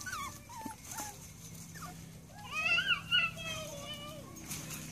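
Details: Rat Terrier pups at seven and a half weeks whine in high, wavering cries, a brief louder burst of two or three squeals near the middle, while a person's voice murmurs alongside.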